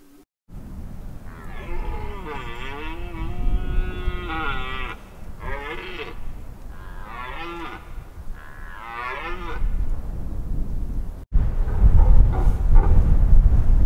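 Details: Red deer in the rut on Mont-Lozère, Cévennes National Park, France, 2016. Several hoarse, wavering bellows run over heavy low rumbling noise, then a sudden cut leads to louder rumble with faint calls.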